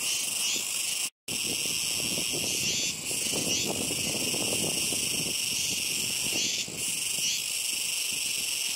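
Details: Kuroiwa's cicadas calling noisily along a river on 10 September 2021: a dense chorus keeps up a loud, steady, high-pitched shrill drone, swelling slightly every few seconds, with a faint low rustle beneath.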